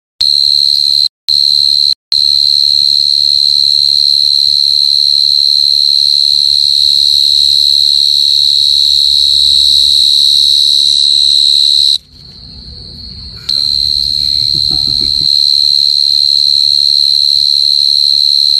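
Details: A cricket at deep night trills steadily on a high, pure note, pulsing about four times a second.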